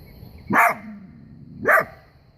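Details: Coyote out in bright sun, howling and barking: two short, harsh barks about a second apart.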